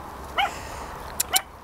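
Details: Chihuahua from the Petits Mots Doux kennel giving two sharp, bright yaps a second apart, the second preceded by a faint click, over low room hum.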